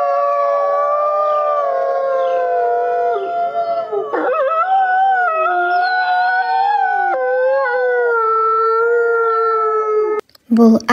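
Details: Chorus of wolf howls, drawn-out and clear, with several voices layered at different pitches that waver, slide up and step down, ending abruptly with a short burst of speech.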